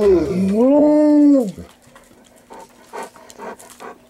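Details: Golden Retrievers aged 11 to 13, excited for dinner, bray and sing with a rising then falling, tuneful howl while begging for their food.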